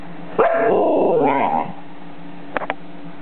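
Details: Uncooperative husky puppy wooing, a wavering, drawn-out woo-woo vocalization about one second long that bends up and down, followed by quiet and a few sharp clicks.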